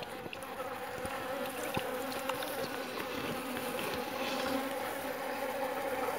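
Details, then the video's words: Jandaíra stingless bees kept in boxes at a house in São Paulo; a loud, continuous buzzing drone with strong stacked harmonics, rising slightly in volume, a few sharp clicks over it. "Jandaíra Forte"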